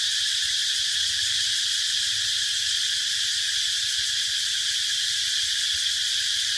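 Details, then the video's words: Cicada calling in a sustained high, sizzling whine that never pauses, with a slight rapid flutter in the tone and faint low background noise. "Cicada sound"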